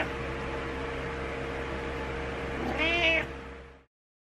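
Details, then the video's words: Butters, a pet cat seeking attention, gives one short, rising-then-falling meow near the end, after nearly three seconds of steady low electrical hum that continues underneath the call. "Meowing Cat Wants Attention"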